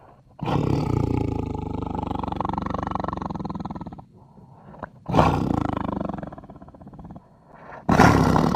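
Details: Tiger, the largest cat species, giving long, deep, rasping roars of about three and a half seconds, then a shorter roar after a brief pause and a third starting near the end; no other sounds.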